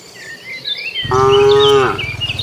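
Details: Village cattle herd heading to their pen: after a second of quiet, a single loud, deep, harmonic moo holds steady for almost a second before fading, with small birds chirping in the background.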